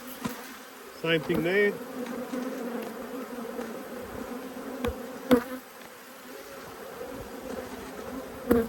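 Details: Honey bees annoyed at their hive being inspected hum in a steady, low drone; a brief human voice comes early, followed by occasional clicks of handling.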